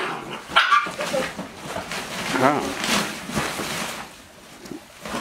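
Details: Hovawart puppies from a litter born 27 November 2019, recorded 22 January 2020 during a puppy training session: short yelping barks and whines mixed with a woman speaking German close by.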